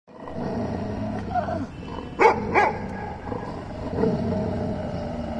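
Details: Puppy and dog play fighting between best friends, two sharp barks in quick succession near the middle, set against a steady low background rumble.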